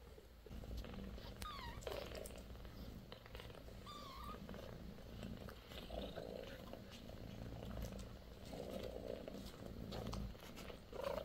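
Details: Sixteen-day-old British Shorthair kittens from a litter of four, born to Bassy: a steady low rumbling purr runs throughout, broken by thin, high, rising kitten mews around the second and fourth seconds and near the end.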